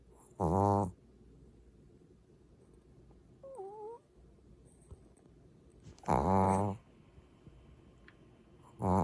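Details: Maltese dog snoring while asleep: two loud rasping snores about six seconds apart, a third starting at the end, with a brief faint squeaky tone between them and a quiet background.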